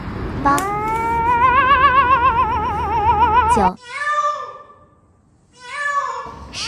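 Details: Cat giving a long, tremulous, wavering meow that lasts about three seconds, then two shorter falling mews after a brief pause.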